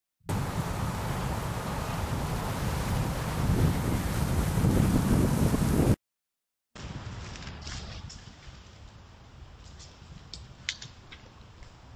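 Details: Rough wind and rustling noise from an outdoor camera runs for six seconds, then a brief silence gives way to quieter background hiss with a few faint clicks, and no animal sound is heard.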